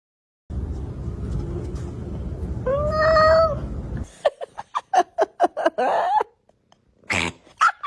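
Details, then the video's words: Domestic cat giving a drawn-out, arching meow after several seconds of rumbling noise, followed by a run of short, choppy, clipped cat vocal bursts and brief sharp squeals. "Cat Noises Funny"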